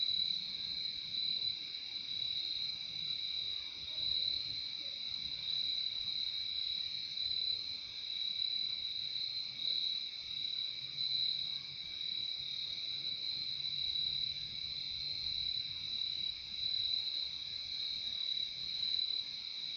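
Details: Crickets at night, a dense unbroken high trill held steadily throughout with a second fainter band beneath it, faint low rumble in the background.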